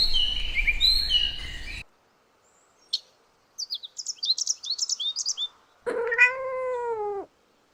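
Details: Kittens playing on green grass. A burst of bird chirping is followed by a short quiet spell, scattered high twittering, and then one long, clear, slightly falling meow at the end.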